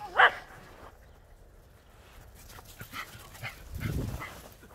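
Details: One of two dogs, a Border Collie and a Jack Russell Terrier, playing chase in the snow: a single sharp, loud bark at the start, followed by quieter rustling, soft scuffles and low thumps of movement.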